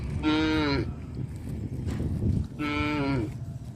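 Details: Two short, evenly pitched moos about two seconds apart from cows on a traditional village farm going to the grazing fields, over a low, steady background rumble.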